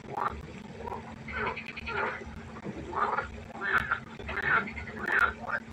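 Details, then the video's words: Pondside frogs at night giving rapid, rattling croaks, some pairs and short runs, roughly one and a half calls per second, several voices overlapping over a faint steady hum. "1 Stunde Froschkonzert. Frosch Geräusche quaken. Frösche Geräusche Konzert"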